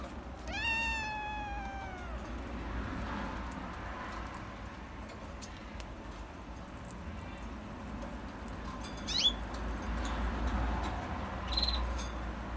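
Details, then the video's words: Loud, rising-then-falling meow from an orange Himalayan cat opens the recording, lasting over a second. Quieter rustles and a couple of faint high chirps follow over a constant low background hum. "Himalayan cat orange"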